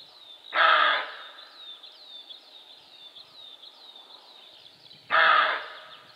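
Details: A roe deer buck (Capreolus capreolus) gives two hoarse, gruff barks several seconds apart, with thin bird whistles behind.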